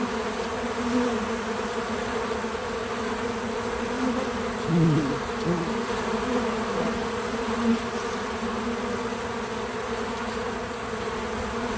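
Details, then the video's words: Bees gathering at a feeder produce an unbroken low hum; midway a single bee flies close, its buzz sliding down and up in pitch and growing louder before fading back into the swarm. "Bees in Slow Motion at the Feeder 🐝 | Natural Buzzing Sounds"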